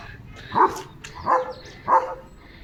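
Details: German Shepherd barking in a yard while people remark that the other animal ran away afraid: three evenly spaced, punchy barks about two-thirds of a second apart, with faint background noise between them.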